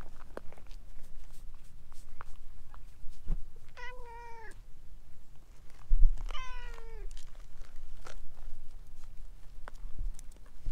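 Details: Talkative stray orange tabby cat clinging to a person's legs, giving two drawn-out meows with rich harmonics, the second longer and slightly falling, amid faint rustling and footstep noise.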